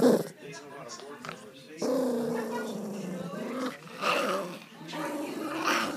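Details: An indoor pet Pomeranian, upset over a stolen treat, gives a sustained, rumbling growl of nearly two seconds, then shorter grumbles mixed with human talking in a small room.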